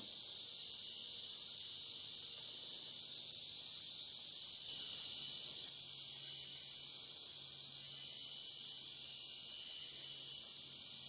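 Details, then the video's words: Steady high shimmering drone of cicadas along the Licking River at Morning View, part of a dusk-to-dawn recording, with a brief swell in the middle and a faint low hum beneath. "Cicada to Cicada - a 12 hour accoustical journey on the Licking River in Morning View"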